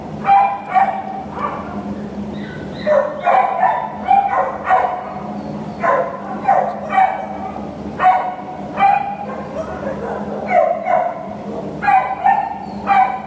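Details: American Pit Bull Terrier awaiting adoption, whining and yipping in a steady series of short high bursts about every second, continuing throughout without other clear sounds.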